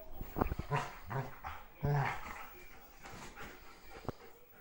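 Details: Belgian Malinois indoors at home, jealous of a new kitten in the house, growling at it: low rumbling growls in short bursts, one longer and louder near the middle, with soft clicks and handling noise between.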